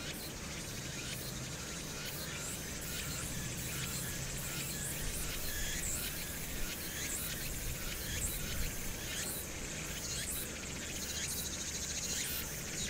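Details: Cicadas singing on Hwangnyeongsan on a summer day, 1 August 2019, amid city noise: continuous high, raspy droning with loose rhythmic throbs, layered over a broad low-pitched hum of the city.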